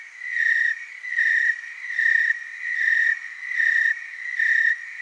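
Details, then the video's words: Several tree crickets calling together in Oregon's Willamette Valley: a constant piercing trill pulsing louder and softer in a regular beat, about six swells in five seconds. "Tree cricket chorus"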